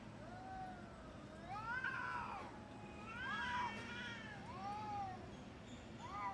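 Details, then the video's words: Cats in a fight, caught in uncut natural footage: long wavering yowls that rise and fall, one after another with harmonics, over a steady low background hum. "Cat Fight"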